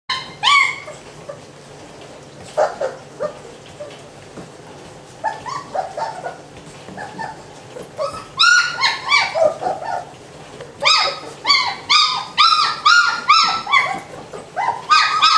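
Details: German Shepherd puppies from a breeding kennel litter: high, rising-and-falling whines and yelps in short bursts, several pups calling, sparse at first then a dense run of rapid squeals near the end.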